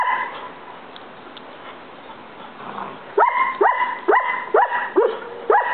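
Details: Collie barking at a roommate, which it does all the time and at no one else, while other dogs ignore it; near-silent start, then six sharp, evenly spaced barks over the last two and a half seconds.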